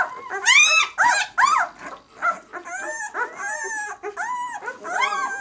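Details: Six-day-old White German Shepherd puppies of the B litter "of White Night" give a few sharp, loud, arched yelps, then thinner wavering whines and squeaks overlapping one another.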